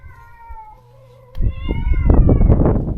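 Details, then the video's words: Stray cat in a countryside yard, recently neutered, crying for its separated companion: one long, drawn-out wavering meow slowly falling in pitch, followed by rustling, shuffling noises. "강제로 헤어진 단짝을 찾아 매일 울부짖는 고양이"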